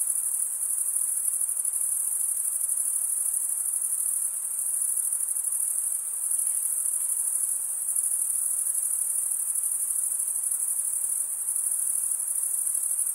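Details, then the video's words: Continuous stridulation from many crickets, chiefly males scraping their wings together, heard as a bright, high, pulsing trill without gaps, gently rising and falling in loudness, with nothing else audible. "Most relaxing cricket sound for 8 hours"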